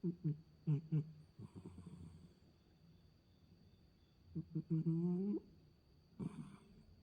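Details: Mei, a pet cat, makes strange sounds while asleep: short low, throaty pulses in clusters, then a longer nasal, slightly rising moan near the end, in a quiet room.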